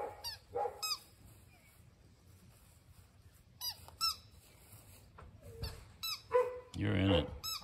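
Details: An excited AKC English Labrador Retriever puppy gives brief, high, squeaky whines that bend up and down in pitch.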